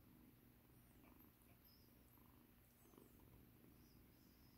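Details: Rescued kitten, once in battered condition, purring while being given a soothing massage indoors; a soft, steady low rumble runs unbroken through the whole stretch, quiet and even, with no meows or voices over it.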